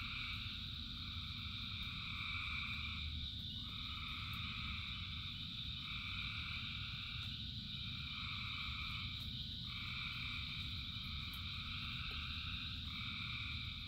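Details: Masses of frogs singing during rain, long buzzy trills in stacked bands that break and restart roughly every two to three seconds, carried over a constant roar of rainfall.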